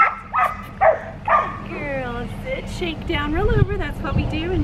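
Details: Blue merle female Australian Shepherd puppy, seven and a half weeks old, from an Oklahoma breeding farm, gives three short, sharp yappy barks in quick succession, then high wavering whine-like tones over a steady low hum.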